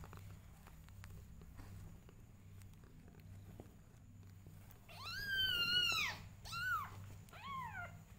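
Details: Mother cat, possessive of her kittens and loving them desperately, gives three meows after a quiet stretch with a low steady hum: a long, high, harmonic-rich cry that rises and then falls, followed by two shorter, descending meows.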